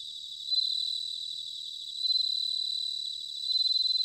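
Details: Bell crickets singing in autumn at Sanuki, Chiba, Japan, recorded with Zoom H6 and Tascam DR-05X recorders: a high, ringing pulsed trill swelling into three louder bursts about every one and a half seconds over a steady chorus.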